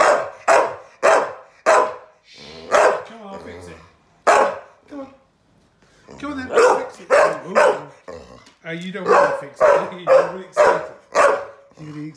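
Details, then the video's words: Adopted female rescue dog scolding her owner for laughing at her bed making fail; a rapid series of short, sharp barks and yips, about two per second, mixed with brief whining grumbles and a short pause midway. "Adopted dog gets frustrated, tells me off for laughing at her bed making fail."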